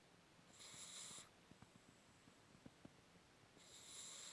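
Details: Pug snoring: two hissy, wheezy snore bursts with bright upper overtones, roughly three seconds apart, separated by soft clicks in a quiet room.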